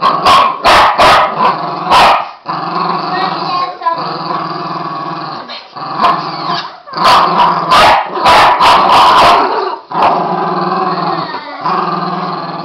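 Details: Pair of Border Terriers at play, trading sustained rumbling growls with quick bursts of sharp yaps and snaps at the start and again midway, the growling carrying on almost without pause.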